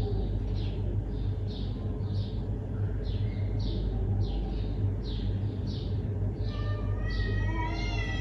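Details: Neighbourhood cat in a confrontation outdoors, giving a drawn-out, rising, wavering yowl in the final two seconds, after steady repeated high bird chirps over a constant low rumble of traffic.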